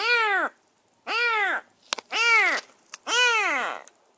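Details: Rescued semi-wild stray kitten, bathed and fed, calling from a cage in its first minutes in a new home: four loud, high arched meows, each about half a second, repeated roughly once a second with short clicks between.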